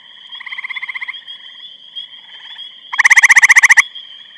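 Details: Grey treefrog recorded 23 May 2012 in Eastham, Massachusetts: distant frogs trill softly, then a nearby one delivers a loud rapid rattling trill near the end, over a continuous high thin tone.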